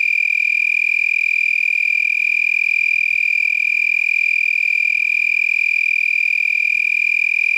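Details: Several lacewings vibrating their wings at night, around 10 pm on 8 November 2021, make a steady, high-pitched buzzing trill much like a tree frog.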